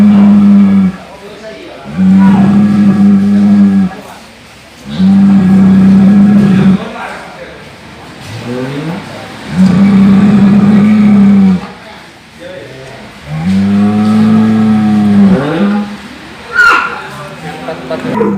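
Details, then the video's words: Cow recorded in a long series of low droning calls, about five sustained notes each lasting one to two seconds with rich stacked harmonics, separated by short pauses; faint breathy sounds between calls and a brief sharper noise near the end. "SUARA SAPI NGOROK"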